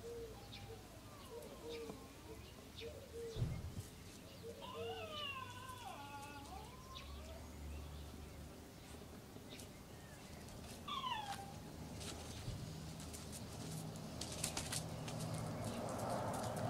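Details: Young Cairn Terrier puppies at Kennel SweetBeauty, born 25 April 2012, recorded 12 June 2012: thin, wavering whines rise and fall with clear overtones, a few short yelps between them, then a sharply falling cry, with rustling and knocks nearby.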